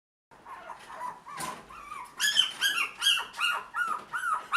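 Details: Toy Poodle puppies offered for sale in Tokyo, giving a rapid series of high, thin yips and whines, rising and falling, several per second, with some rustling noise early on.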